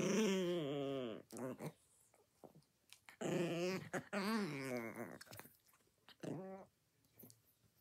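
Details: Chihuahua growling while eating its breakfast indoors: a wavering, harmonic growl-grumble in a long burst of just over a second, a second longer wobbling burst, then a short final grumble, separated by quiet gaps with faint small sounds.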